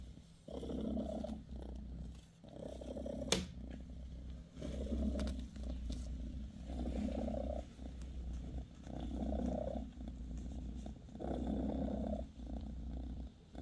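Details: Mother cat Bassy, a British Shorthair, purrs beside her kittens; deep rumbling phrases about a second long alternate with brief quieter breaths, with one sharp click near the start.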